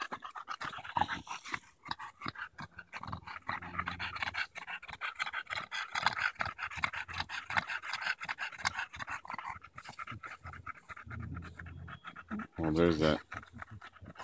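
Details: Steady rapid panting from Daisy the Bulldog during a July 2014 walk in Erindale Park, where she played with a branch. Breaths continue throughout, with a short human voice near the close.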